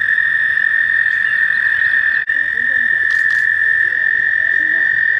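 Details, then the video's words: On a warm May day in mating season, American toads trill continuously at a shallow pond in a nature center; a sustained even high trill with a momentary break, plus faint chirps and a short hiss. "Toads Looking for Love"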